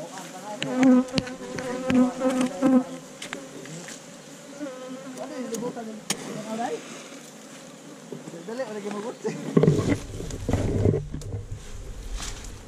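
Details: Honey bees swarming around their hive inside a hollow tree trunk during a honey harvest by hunters, recorded on a GoPro Hero5 Black: a steady droning hum with layered overtones and louder wavering surges early on. People talk throughout, and a deep rumble comes near the end.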